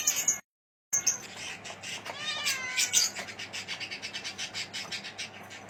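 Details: Forty-five-day-old Himalayan kittens, male and female, mewing in a rapid run of high, wavering cries after a brief cut, over soft background music.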